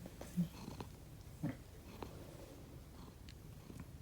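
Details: Domestic cat snoring while asleep indoors, one of two rescued house cats, Konbu (white and brown) and Myun (grey and white), a sound unlike their usual purring; soft low rumbling breaths about once a second with faint clicks in a quiet room.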